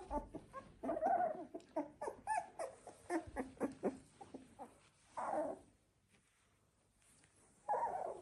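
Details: Labrador Retriever litter, puppies 16 days old: a busy stretch of overlapping short whines and squeaks, then a pause, with two longer drawn-out whines later.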